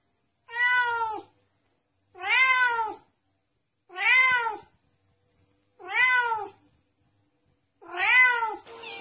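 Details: Kitten meowing in a steady series: five clear, arched meows, each under a second long, repeated roughly every two seconds against a silent background.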